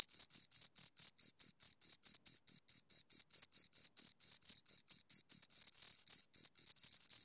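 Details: Two crickets chirping steadily, a shrill high-pitched chirp repeated several times a second in an even, unbroken rhythm, with a fainter higher overtone above the main tone and no other sounds.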